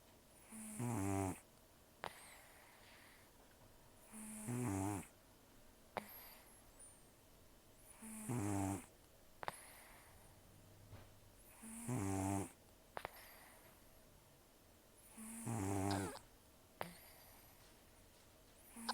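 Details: Rescued cat Taro, about 10 to 14 years old and nearly toothless, snores deeply in sleep, five harsh rasping snores at steady intervals of roughly three and a half seconds, each followed by a short click.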